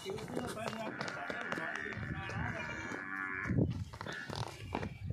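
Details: Nili-Ravi buffalo offered for sale in Punjab, Pakistan, giving a long, drawn-out, harmonic moo lasting several seconds. Men talk over it and there are scattered knocks and background chatter.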